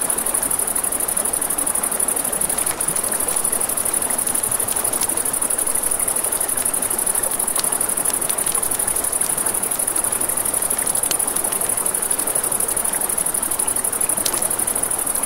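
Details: Night-time crickets beside a river keep up a continuous shrill, high trill, while the water murmurs beneath and a campfire pops and snaps now and then.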